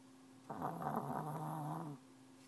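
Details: Sleeping dog lying under a desk with its face squished against the wall gives one rough, rattling snore lasting about one and a half seconds in a quiet room.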